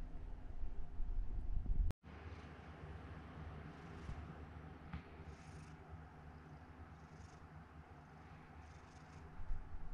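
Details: Domestic cat named Chikuwa, rescued as a kitten, with limited sight in one eye, purring at home: a low, steady, continuous rumble with a brief break near two seconds and faint rustling sounds.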